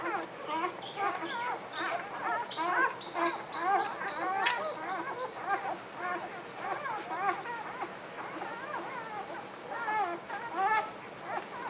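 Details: Hungry newborn puppies squeal almost without pause: a dense chorus of short, high, arching squeaks and whines from several pups at once, with a brief sharp click and faint background voices.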